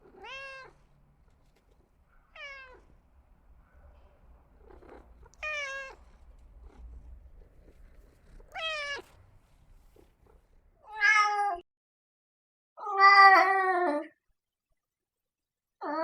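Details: Cat meows in a series of seven short calls spaced a second or two apart, the first ones thin and falling, the later ones louder, longer and harsher with a wavering tone; a low hum underlies the early part.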